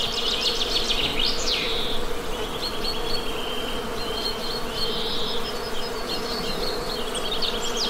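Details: Honey bees humming in a steady, low drone with layered harmonics, while birds chirp and trill brightly above throughout, including a quick descending burst near the start.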